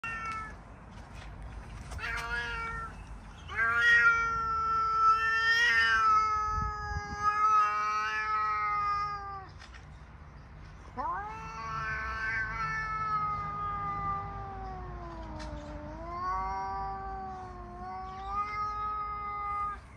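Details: Two domestic cats, Salami (grey, black and white) and Charlie (white and black male), in a confrontation: long drawn-out yowls, steady then wavering and sliding down in pitch, with a break of near silence midway.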